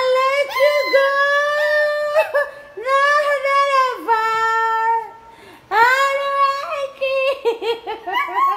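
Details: Pet Miniature Pinscher singing along with Broken Vow, its owner's song, indoors: wavering, harmonic-rich howls rising and dipping in long phrases, a brief pause near the middle, then quicker broken yelps toward the end.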